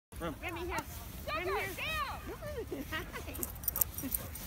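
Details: Huskies and Malamutes at a meetup in the snow give a run of short, arched, yodel-like howling calls, rising then falling, several in quick succession, with a busy outdoor background and faint voices.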